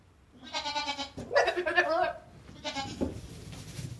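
A goat gives wavering, nasal bleats, each lasting about a second, with a tremulous vibrato.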